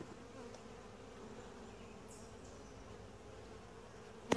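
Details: Quiet, calm honey bee colony heard during a typical hive inspection; a continuous low droning hum throughout, with a sharp knock near the end as the beekeeper works.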